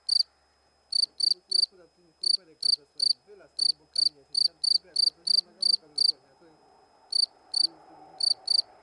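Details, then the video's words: Cricket fully out of its burrow beside a stone, filmed close up; loud, shrill chirps repeated about three per second in short runs with brief pauses, while a man talks softly in the background. "Świerszcz cyka 2 (dźwięk świerszcza) cz.2 \\ Cricket Sound part 2"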